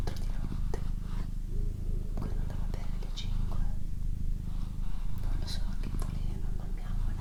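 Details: Doroti, a pet female cat, purring steadily: a low, rumbling drone pulsing in breath cycles of roughly a second, with soft whispering and faint clicks over the top in a quiet room.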